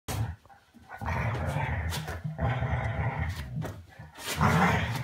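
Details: A six-year-old Weimaraner playing with a one-year-old Vizsla during a good-night game indoors; deep rumbling growls come in long runs, broken by short pauses and rustling.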